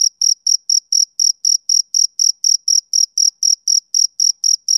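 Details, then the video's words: Short burst of male cricket chirping: high, ringing pulses spaced about a quarter second apart, steady in pitch and volume, clean with no background noise. "Cricket Chirping"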